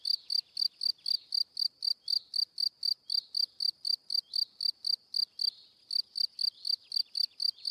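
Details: Chirping cricket giving rapid, even pulses, roughly four each second, high and ringing, with a short gap just before the fifth second and faint rasping noise below.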